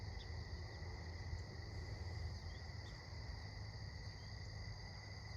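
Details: Crickets at sunset during an evening walk: steady continuous high trilling bands in a constant chorus over low rumbling background noise.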